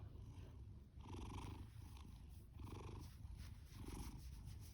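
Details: Male orange tabby Fasu, a shelter rescue born October 2019 and home since July 2020, purrs and snores heavily; continuous deep vibration with four rasping breath pulses spaced about one second apart.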